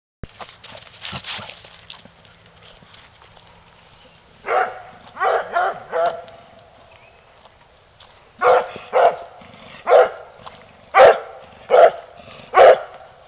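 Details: Earl the Coonhound, eager to go hunting, gives a series of loud, broad barks: a scattered cluster early on, three in a row mid-clip, then six evenly spaced barks roughly every second toward the end.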